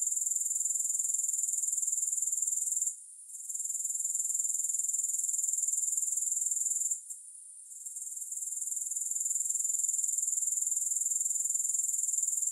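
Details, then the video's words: Grasshoppers chorus in a three-hour soothing recording with no music. A thin, high, buzzing trill continues steadily, dropping away briefly twice, around three and seven seconds, before resuming at full strength. "Grass Hopper Sounds"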